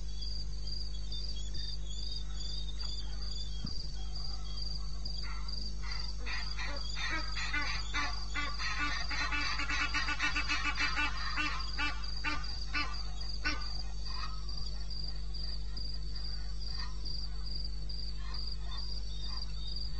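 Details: Crickets in the wilderness of eastern Botswana, recorded 21 May at 2:30 AM: a steady, high, finely pulsed trill runs throughout, while a burst of rapid, louder clicking calls rises mid-clip and fades, over a constant low hum.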